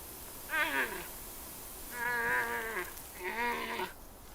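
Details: A giant panda, probably one of the rival males competing for a female in the breeding season, gives three nasal, goat-like bleats, each under a second and sliding downward, about a second and a half apart.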